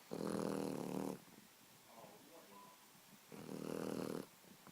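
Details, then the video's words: A sleeping Boxer puppy gives two long, rough, droning snores, each about a second long, separated by a softer breath with a faint squeak in a quiet room. "Boxer Puppy Snoring"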